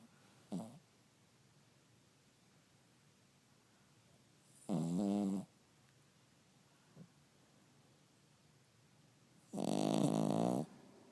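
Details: Cavalier King Charles Spaniel snoring indoors: three separate rasping snores with harmonic rattling tones, the first short and quiet, the later two louder and about a second long, separated by quiet pauses.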